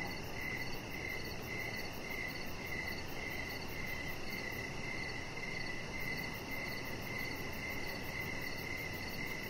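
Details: Steady evening cricket chorus beside a lit deck where a chihuahua lies; ringing chirps recur about every two-thirds of a second for nearly ten seconds over faint continuous hum.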